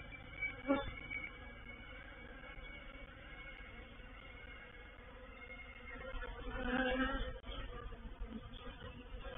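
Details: Honey bees of a reproductive swarm moving into a bait hive at Painted Peacock Manor on 04/07/21; a steady droning hum with wavering tones, close passing buzzes at about one second and seven seconds.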